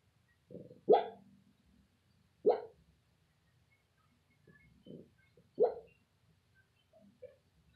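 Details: A female Shih Tzu barking in her sleep while dreaming: about five soft, muffled woofs at irregular gaps, some stronger and some barely voiced, with quiet stillness between them.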